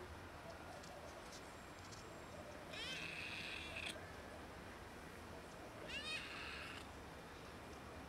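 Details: Pregnant cat and a kitten asking for food with broken meows during a casual street encounter; two high harmonic meows about three seconds apart, the first longer and wavering, over steady background hiss.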